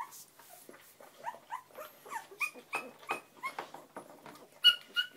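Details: Springer Spaniel puppies, tottering through their first steps, let out soft, uneven squeaks and whines over a faint rustling background, ending in two clearer, higher cries.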